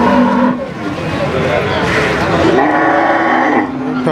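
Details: Cow mooing amid the bustle of Pasar Sapi Warujayeng, a cattle market, on 28 November 2019: a low sustained moo at the start and another drawn-out lowing later, over constant human voices and crowd din.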